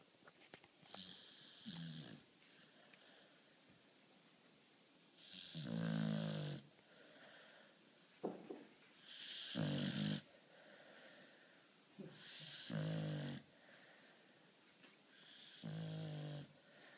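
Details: Charly, a beagle, snoring during his daily midday nap: slow, rasping snores with a low rumbling core come roughly every three to four seconds, with a soft wheeze between them in a quiet room.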